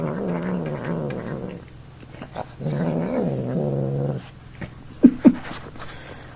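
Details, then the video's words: A male house cat makes odd noises while eating indoors. He dislikes being touched or picked up, and is said to sometimes sound like a snorting piglet. Two drawn-out, low, wavering growl-moans are followed by a few sharp clicks. "Cat making weird sounds while eating"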